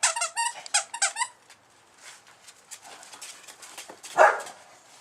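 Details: A sleeping 8-week-old male Bull Terrier puppy snores. A quick run of squeaky, whistled snores fills the first second, then soft, quiet breathing follows, and one louder snort comes near the end.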